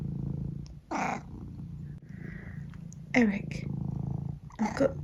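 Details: Eric, a pet cat at breakfast time, purring low throughout, broken by three short bursts: a brief meow, a rising chirp and a final squeaky call.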